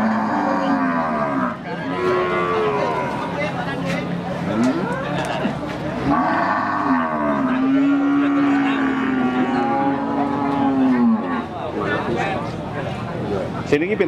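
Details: Limousin cattle at the Pon Jaken market in Pati, including a female that has calved once; a long drawn-out level moo lasting several seconds stands out, with shorter lowing calls, market chatter and voices around it.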